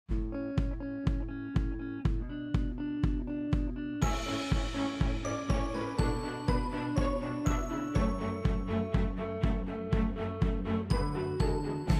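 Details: Upbeat music with a steady beat and bright chimes plays continuously, about two beats per second.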